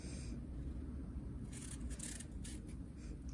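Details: Low indoor rumble with soft scraping and light tapping sounds, no animal voice heard.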